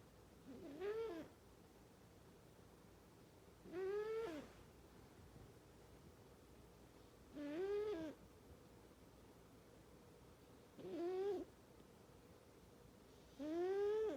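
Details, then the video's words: Cat snoring very loudly in its sleep, one breath roughly every three seconds: five squeaky, whistled snores that rise and fall in pitch, separated by quiet gaps. "Snoring Cat"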